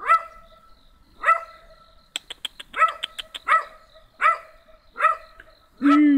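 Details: Small black dog barks in short, bright yaps repeated roughly every 0.7 seconds, with a burst of quick clicking sounds in the middle and a longer lower whining note at the end.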